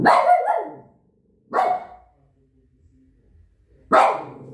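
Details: Barking Shih Tzu: three loud, abrupt barks, the first slightly longer and ragged, spaced unevenly over a few seconds with near silence between.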